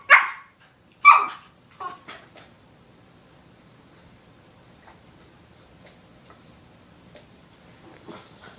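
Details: Foster puppy Ink playing and bonding with his older canine big brother Owen indoors; two sharp high yelps open, then softer yips and quiet whines trailing off into near silence.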